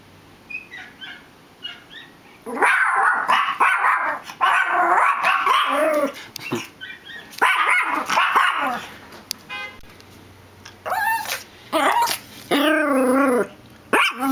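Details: Indoor dogs, unhappy at another dog barking somewhere outside, respond with loud, harsh barks in rapid bursts, then rising and falling whining howls with strong harmonics near the end.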